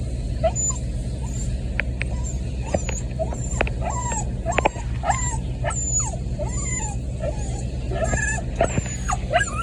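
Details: Puppy crying while waiting at a door in the rain: short, high, wavering whimpers and yelps repeat through the clip over a steady, loud hiss of rainfall.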